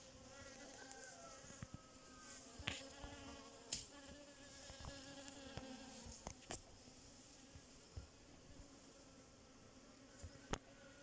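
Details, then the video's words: A bee making a continuous low buzzing hum with faint wavering overtones, steady throughout, against a hissy background broken by frequent sharp clicks and taps. "Relaxing Bee 🐝🐝🐝 making sound"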